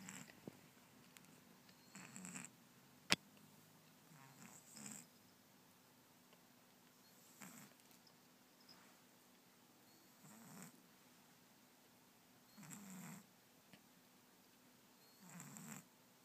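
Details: A kitten with a nose blocked by a cold snores while sleeping indoors, making soft breathy rasping snores that come roughly every two to three seconds in a quiet room.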